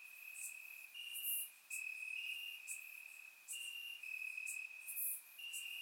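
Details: Several crickets trilling from grass on a warm Bulgarian summer night; a constant high, even chirring with brief dips, one caller slightly higher than the rest, plus short sharp clicks.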